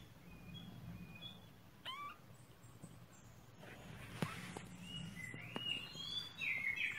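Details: Kittens kept as pets indoors, with short high thin mews sliding in pitch, a few scattered calls early and a rising, wavering cluster near the end over a steady low hum.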